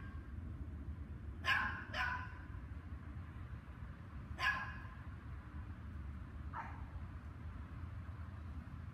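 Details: Barking dogs recorded May 24, 2019, after 7 PM, in a two-hour bout. A quick double bark opens, followed by a lone bark a few seconds later and a softer one near the end, over constant low background hum.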